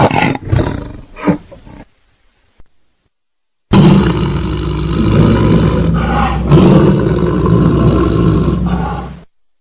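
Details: Tiger roar: short rough grunting bursts, a silent pause, then one long, powerful, low roar lasting over five seconds before cutting off.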